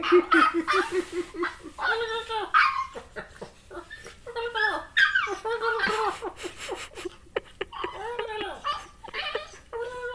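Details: Corgi puppy at play with a person, producing strange turkey- and chimpanzee-like noises: repeated warbling, yodel-like whines and grumbling yelps in bursts, with some human voice mixed in.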